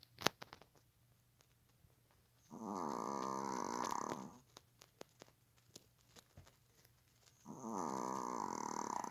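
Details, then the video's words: Dog sleeping on the sofa, lying like a person and snoring heavily; two long buzzing, rasping snores about five seconds apart, with small clicks and rustling in the quiet gap between them. "사람처럼 누워 코고는 강아지 모습(애완견 코골이)"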